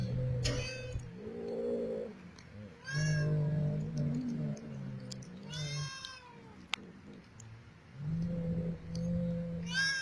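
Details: Wild black-and-white Persian Himalayan cats being fed in Arabia: several drawn-out, harmonic meows, some rising then falling, come in bursts every few seconds over a steady low mechanical hum.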